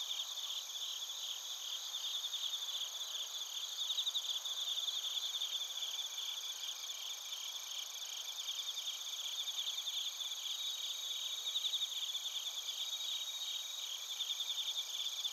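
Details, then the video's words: Night insect chorus of bell crickets and crickets from Narita, Chiba Prefecture, Japan: continuous overlapping high trills with rhythmic pulsed chirps repeating steadily throughout, no other sounds standing out. "スズムシとコオロギの鳴き声 - Chirping of crickets"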